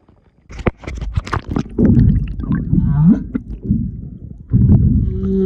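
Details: Humpback whales, a mother and her calf passing close by in February 2022: low underwater grunts and rumbles with a short rising moan midway, among clicks and splashy knocks, ending with a steady low tonal hum.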